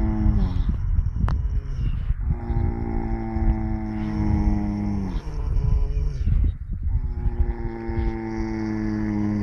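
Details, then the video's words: Napping in the sunny early morning, four horses snore almost without pause. Deep, humming groans overlap and slide slightly downward, one after another. "Des chevaux ronflent en dormant!"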